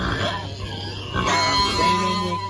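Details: Berkshire pigs, kept on a farm, rolling around with enjoyment while sprayed with diluted permethrin against external parasites before winter; short low grunts open, then a sustained high squeal runs on over a steady mechanical hum.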